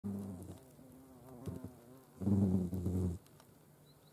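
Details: European hornets with ants at a feeding place in Dohr, Eifel, Germany, 28 July 2022: low droning wing buzz that wavers in pitch, swelling into a louder, fuller pass around the middle before fading.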